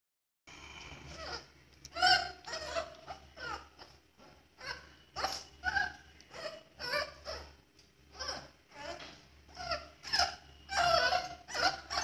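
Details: Male Boxer puppy, 40 days old, the second male of a first litter, uttering a rapid series of short, sharp, high yelps and squeaky whines in quick bursts, some clustered two or three together, indoors.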